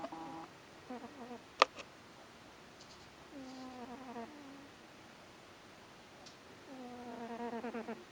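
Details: Sleeping cat snoring: low, harmonic, rattling bursts about a second long, one every few breaths, with one sharp click early on in a quiet room.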